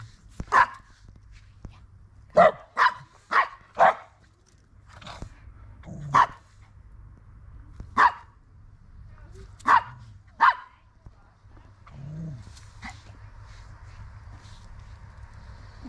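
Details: A poodle named Siobhan barks outdoors on an autumn walk around her home and in nature with dog friends: sharp, loud single barks, some spaced about two seconds apart, others in a quick run of four, over low background rumble.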